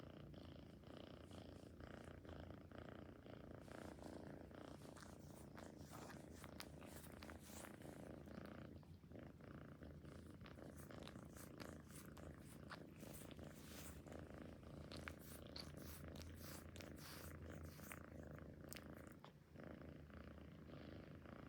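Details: Cat purring steadily for twenty seconds, deep rhythmic rumble, overlaid by scattered clicks and rustling from movement near the animal.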